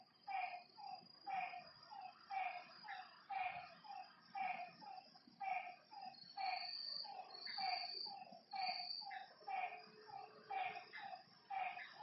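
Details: Frogs calling at night beside a lake: short, nasal croaking notes with a bright upper edge, about one each second, overlapping in a loose chorus, with a thin high insect trill drifting above.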